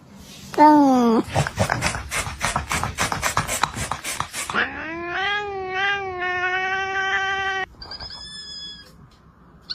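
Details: Domestic cats making funny noises: a sharp rising yowl, then a run of rapid harsh pulsed chattering, followed by a long wavering harmonic moan, ending with a thin high squeak.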